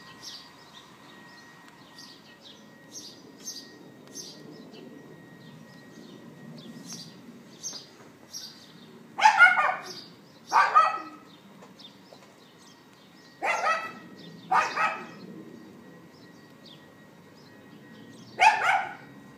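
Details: A neighbour's dog heard on April 18, 2012 at 11:31 AM via iPhone 4S gives scattered single and paired yaps over about twenty seconds, while small birds chirp repeatedly in the background.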